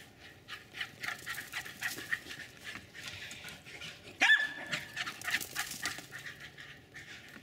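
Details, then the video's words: Jack Russell terrier Jasper barking during a backyard run-and-chase with Jaclyn in Colony Woods, Lenexa, Kansas; quick sharp yaps and breathy panting bursts, with one louder bark standing out midway. "enthusiastic Jack Russell Terriers Jasper and Jaclyn running and barking maniacally"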